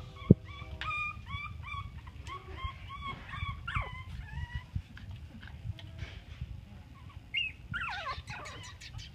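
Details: Chihuahua puppies, cream longcoats among them, at play: many short high whimpers and yips in quick bursts, some rising and falling, with soft thumps and bumping underneath.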